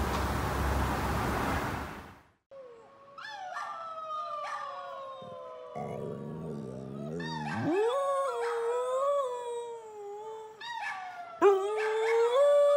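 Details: Dog howling indoors after a burst of noise: long sustained tones near mid pitch with rich harmonics, sliding and wavering, several drawn-out howls with brief breaks and a sharp yip near the end.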